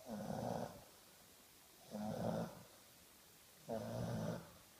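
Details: Sleeping English Bulldog named Brutus snores steadily, three long grating inhalations spaced roughly every two seconds, harsh and resonant with a low drone underneath, nothing else heard in the quiet indoor space.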